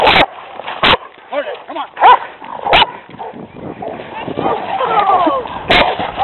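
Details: Two stray aggressive dogs confront a restrained pet Rottweiler during a walk. A few loud, isolated barks are spaced seconds apart, with brief whines between them, over a background of people talking and calling out.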